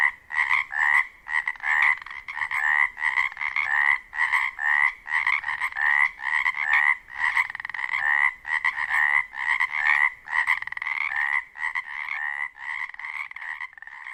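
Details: A dense mating chorus of Pacific chorus frogs on Washington's Olympic Peninsula, rapid two-part croaks overlapping about once a second as females choose among calls.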